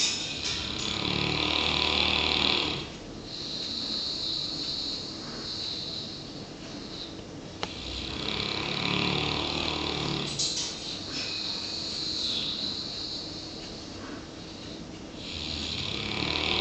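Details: A one-year-old South African Boerboel named Klein Sandfontein Daniel (Dan) sleeps after a hard working day. The snoring comes as long, rasping, breathy swells every few seconds, each fading into quieter pauses indoors.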